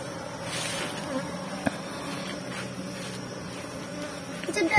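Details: Honey bees from an underground nest during honey harvesting on Biliran Island: a steady, low droning hum with layered overtones holds throughout, with a few faint clicks and brief human voice traces.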